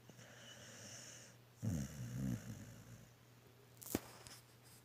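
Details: Milo the pet dog snoring in his sleep: one long rattling, low-pitched snore in the middle, a brief sharp snort near the end, and a constant faint hum indoors.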